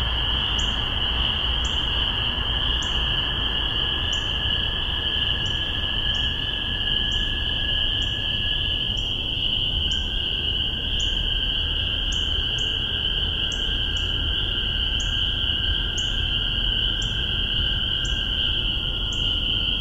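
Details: Spring peepers in Massachusetts, spring 2015, recorded with a spaced omni microphone pair: a dense, continuous high chorus of peeping, with nearer individuals giving short rising peeps about twice a second, over a steady lower droning band and faint rumble.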